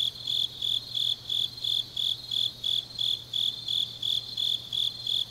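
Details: Grass insects on a deep autumn night in Changnyeong, Korea, chirping in high, evenly spaced bursts, roughly three each second, steady and unbroken over a soft low background hum.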